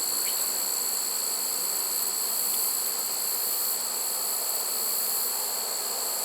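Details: Swarm of honey bees caught in a trap late in the season, September 1, 2019; unbroken, busy buzzing hum with a steady high-pitched whine overhead.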